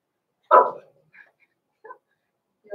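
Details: Blenheim Cavalier King Charles Spaniel puppies, born November 14, 2022, to Pom-Pom, in an indoor puppy pen at Christmas time: one short, rough bark, then a few faint soft yips and squeaks in a quiet room.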